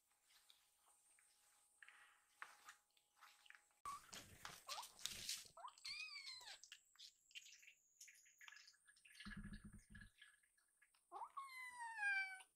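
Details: Two rescued foster kittens at mealtime, wanting more milk: a few thin, downward-bending meows midway and a final string of high mews, with splashing or running water and faint clicking in between.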